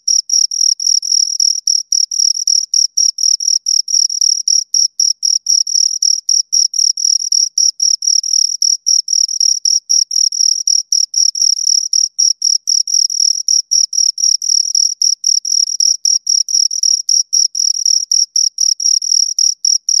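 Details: Continuous high, thin chirping from two crickets, rapid pulses packed closely together in an unbroken stream, sometimes blurring as the two insects overlap; no background noise, voices or music.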